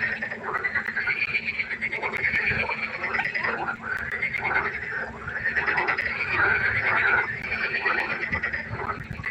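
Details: Night-time pond frog concert, a steady wall of overlapping buzzy, pulsed croaks swelling and fading in waves, with many frogs calling at once and no pause.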